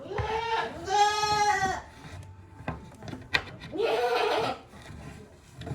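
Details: Goats inside their shed on a handmade goat farm, 5 December 2023, sometimes making odd calls: two loud, wavering, nasal bleats about three seconds apart, with rustling and knocks from the small room between them.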